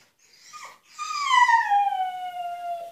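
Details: Husky named Altezza shut in an enclosure as punishment, demanding freedom: a short whine, then a long tonal howl that slides slowly downward over about two seconds, rich in harmonics, indoors-sounding and otherwise quiet.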